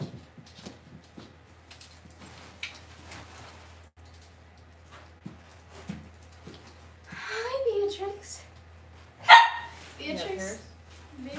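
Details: Cavalier King Charles Spaniel puppies raised in a home puppy pen, filmed on a livestream. Soft rustling and light taps come first, then wavering high whines and yelps rise in the last few seconds, with one sharp yip. Human voices run underneath.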